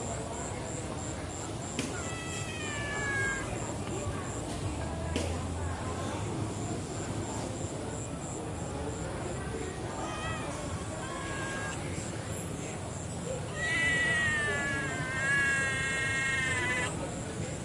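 A kitten gives shrill, wavering meows, a short one early and a longer drawn-out cry near the end.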